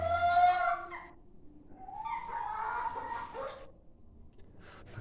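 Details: Newborn piglets squealing: a high harmonic cry in the first second, then a wavering, buzzy squeal from two to three and a half seconds, with quieter gaps between.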